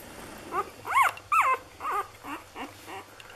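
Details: Day-six Lagotto Romagnolo puppies of a Hamburg A litter make short squeaky yelps and whimpers, several quick sharp notes peaking and falling in pitch, fading into softer squeaks, against low background hum.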